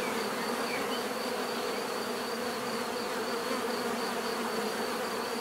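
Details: Dense swarm-like bee buzzing, a constant droning hum without pause and a faint pulsing whine riding high over it.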